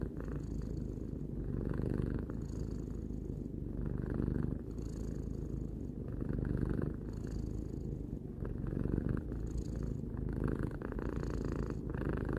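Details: Three-year-old pet cat purring close up indoors: a deep, even rumble with soft airy surges about every two seconds, alternating in-breath and out-breath phases, nothing else audible.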